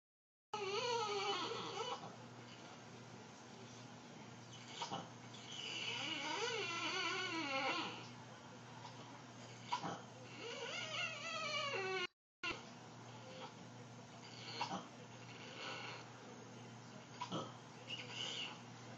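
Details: A sad female French Bulldog whines in long, wavering, almost vocal tones, complaining to her owner.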